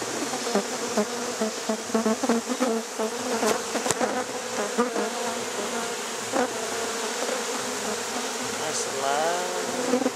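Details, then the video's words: Honey bees in Rosharon being put into a hive late at night: a steady, dense buzzing drone holds throughout, with scattered clicks and knocks and a human voice rising briefly near the end. "Rosharon bees - go into a hive at night"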